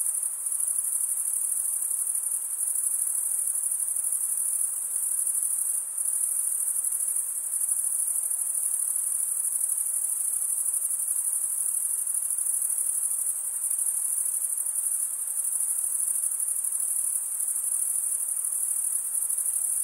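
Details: Crickets chirping together after dark in a summer forest make a sustained, piercing high trill that hardly varies in loudness and has a few tiny dips, with no other sounds.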